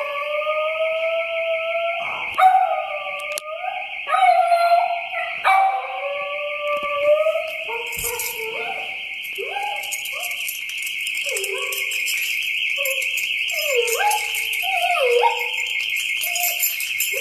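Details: Lilla, a female miniature pinscher, answers her family's car alarm with a string of whining, yodelling howls that rise and fall in stepped pitches, over the alarm's steady, pulsing high tone that runs throughout.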